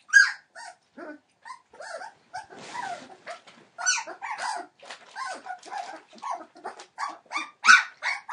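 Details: Entlebucher Mountain Dog puppies, 21 days old, from a litter born in December 2013, giving a busy mix of short squeaks, yelps and whines, some overlapping, with a brief noisy rustle near the middle.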